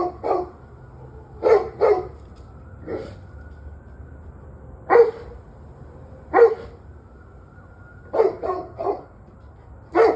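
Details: Barking dog recorded at 7:06 pm on November 21, 2023. Single barks and quick doubles are spaced irregularly through the stretch, some close together and others a second or two apart, over a low constant hum.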